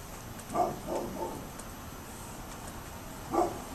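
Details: A neighbour's dog barking on 27 October 2011: a bark followed by two fainter, quick follow-up barks, a long pause, then one more sharp bark near the end, against constant faint background noise.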